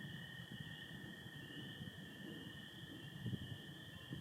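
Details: Spring peepers calling on a spring night in Michigan on 24 April 2025 under stars and some overcast; a steady high chorus of blended peeps runs throughout, with a lower continuous trill of American toads beneath and faint low rumble.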